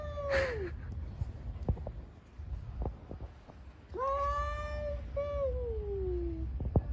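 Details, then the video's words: Fighting cats on the street give a short falling yowl, then a long rising wail that breaks and slides slowly downward, with low background hum and occasional knocks between. "Cats on the street are fighting with a lot of funny sounds."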